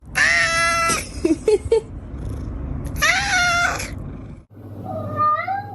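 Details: Domestic cat meowing: a long, loud harmonic meow falling slightly in pitch, a few short chirpy sounds, then a second drawn-out meow and a rising, softer meow at the end.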